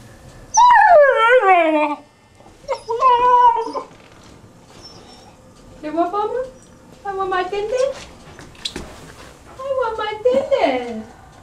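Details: A 12-week-old male Newfoundland puppy, told to get down and sit, gives about six high, whining yelps. Each one slides downward in pitch and some break into squeaky bursts, with a short human exclamation heard once.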